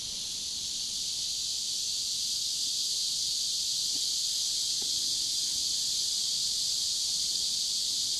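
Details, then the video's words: Cicadas chorusing near a river in warm summer, recorded pointing toward the sky: a steady, intense high buzz with no pauses, plus a couple of faint soft ticks in the background. "Las cigarras cantando junto al río en cálido verano"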